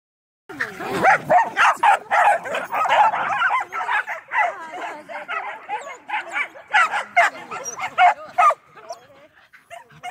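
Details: A running Medium Poodle gives rapid, high, sharp yips and barks, about two per second in a steady burst that fades out near the end. A person's voice talks over them.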